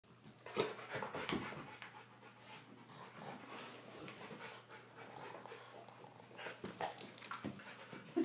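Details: A French bulldog and a Rottweiler five times her size play noisily, the bulldog dominating, trading quick breathy pants, snuffles and brief rasping bursts, with low steady growling hard to pick out among the scuffling.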